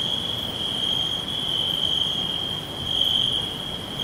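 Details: Crickets chirping all around in a natural green forest: a steady, shrill, high trill runs unbroken throughout, swelling slightly near the end, with fainter higher ticks above and a soft low rustle beneath.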